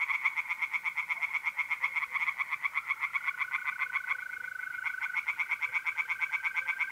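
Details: Pond tree frogs calling by night in April, north-east Italy, a dense run of quick rasping pulses without break, while a mole cricket's steady whistling trill hums beneath.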